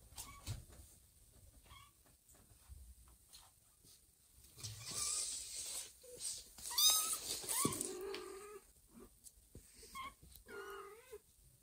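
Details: Domestic kittens meowing indoors as their mother cat Joanna carries them one by one in her mouth to a new, safer spot, a foundling kitten among them; short high, wavering meows come in scattered bursts over rustling and shuffling noises.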